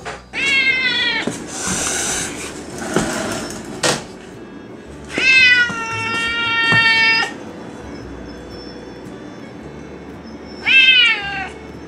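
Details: Stray cat by the sea waiting alone for food as evening darkens on a windy day; three drawn-out, wavering meows spaced several seconds apart, with clattering and rustling noises in between.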